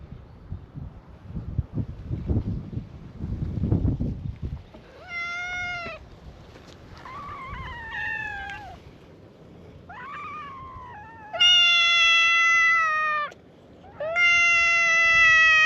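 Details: Stray cats at a cat gathering on a Japanese cat island, greeting a visitor with a chorus of meows: clear harmonic meows, some rising then falling, several long drawn-out calls in the second half, after a rustling, noisy opening.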